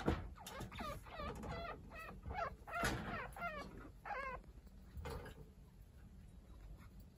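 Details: Pet chinchillas indoors: one-week-old kits Hinata and Ryo, now lively, being groomed by unrelated chinchilla Kaito. A rapid run of short wavering squeaks, each bending up and down in pitch, over soft rustling and handling noise.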